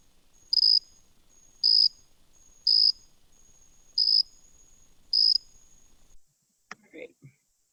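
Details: Jumping bush cricket (Orocharis saltator) song: loud, clear, high-pitched chirps repeated about once a second; a widespread species heard in suburban backyards, parks and natural areas.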